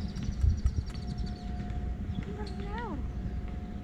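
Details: Damat cat, a male with a white point on his tail, meowing for affection rather than food: one short meow that rises then falls, with clear harmonics, over a steady low rumble of background noise.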